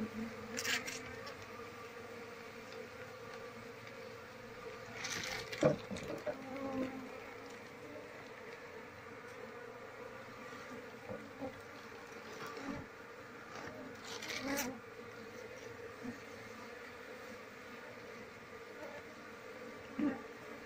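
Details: Wild Apis cerana colony hums steadily while its comb is scraped out with a knife during a search for the queen; continuous even drone broken by scattered scraping clicks and thuds.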